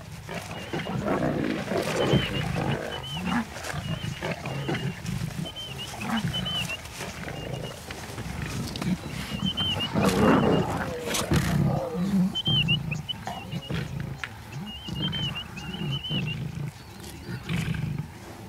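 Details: Lions at a kill of baby warthogs in Nakuru National Park, Kenya, young males muscling in on the catch; continuous low rumbling growls and snarls throughout, with bright chirping birds repeating high above.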